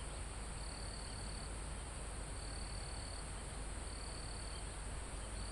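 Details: Live recording of crickets in a forest almost at the top of a mountain: three to four sharp, high, level trills with pauses between them, with steady low wind rustling leaves and trees underneath.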